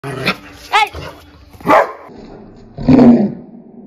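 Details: An angry dog gives short sharp barks, a higher yelp near one second, another bark, then a longer rough growling bark toward the end, with quiet gaps between.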